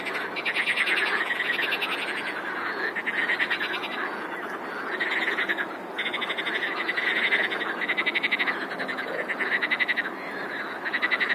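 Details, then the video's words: Large frog chorus: unbroken layers of quick rattling, pulsed croaks, loud bursts recurring every second or two amid a constant wash of distant calling frogs. "Хор лягушек! :) - Chorus of frogs! :)"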